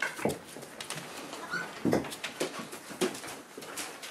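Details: Boerboel pups at four weeks old, kept indoors with their mother Aston and other household dogs: short, thin squeaky whines and soft yelps scattered across a few seconds amid scuffling and clicking noises.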